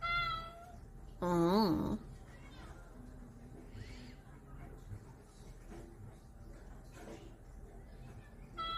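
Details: Cat trying to escape, giving a loud wavering meow that rises and falls several times over about a second, with shorter meows at the start and end; quieter indoor background between calls.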